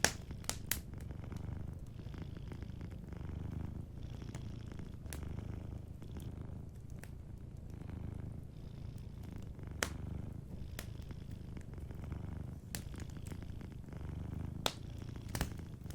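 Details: Soft purr of a sleeping cat, deep and rumbling, rising and falling in steady breath cycles over sixteen seconds, while a fireplace crackles faintly in the background.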